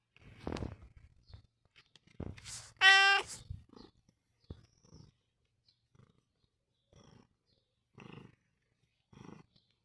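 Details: Long John Whiskers, a pet cat, gives one loud, clear, slightly drawn-out meow near the middle, with quiet thumps and faint rustling before and after.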